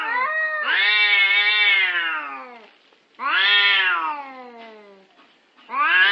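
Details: A cat gives long drawn-out yowling meows, each lasting about two to three seconds, rising then slowly falling in pitch, rich and harmonic, with brief silent gaps between three calls.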